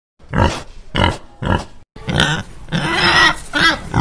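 A rabbit honks in soft, snorting grunts, three quick pulses followed by a longer rustling burst.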